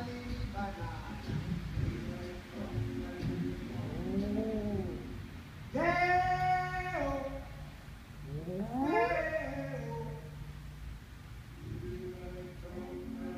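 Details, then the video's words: Domestic dog singing along with the Banana Boat song, giving sustained, even-pitched howls and a sliding wavering wail, while the music plays throughout underneath. "Mi perro cantando Day O banana Boat song"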